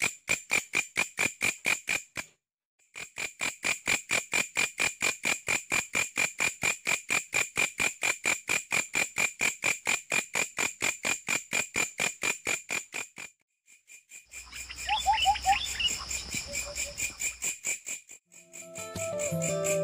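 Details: Katydid song heard by a giant mantis: rapid dry pulses repeated steadily, about two per second, with bright high ringing bands, a short pause near three seconds, then a jumble of other tones and a low rumble near the end.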